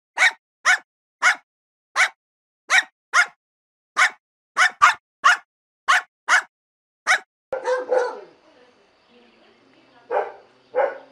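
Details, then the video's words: Dog barking in a fast, even series of about fifteen sharp, short barks over seven seconds, then a rougher, noisier bark and two more barks after a pause. "Szczekanie psa"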